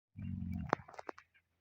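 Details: Female camel from a breeding herd giving a short, deep, rumbling groan lasting about half a second, followed by a sharp click and a few soft knocking sounds.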